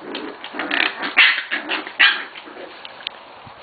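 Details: Corgi puppies from two litters, recorded 21 November 2013, feisty and feeding well; two sharp, high yips stand out about a second apart among softer yelps, while a woman talks to the pups throughout.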